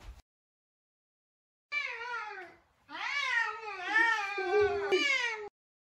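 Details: Very talkative Savannah cat Sabian searching for Sabina; a wavering meow followed by a nearly unbroken string of loud, undulating, rising and falling meows lasting about three seconds.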